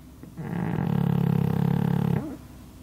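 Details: Pug snoozing under a hanger rack: one deep, rattling snore of under two seconds, rising quickly and fading away, the room otherwise quiet.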